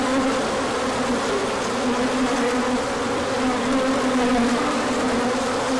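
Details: Bees out in numbers for an orientation flight in March sunshine following cold days; unbroken droning buzz from many insects, pitch gently rising and falling.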